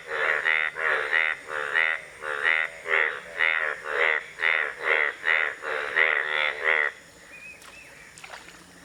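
Indian bullfrog giving a rapid series of loud, nasal, buzzy croaks, about two per second.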